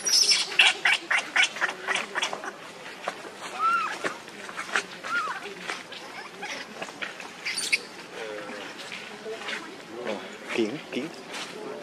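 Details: Baby monkey named Leo, very hungry, crying and begging its mother for milk while she refuses; short high squealing cries and clicking bursts repeat irregularly, with brief rising and falling whines amid background chatter.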